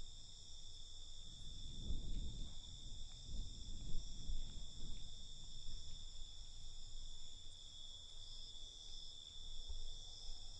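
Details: Crickets trill through the night in a constant high-pitched drone, stacked shrill tones steady from start to end, with rumbling low-frequency noise pulsing underneath.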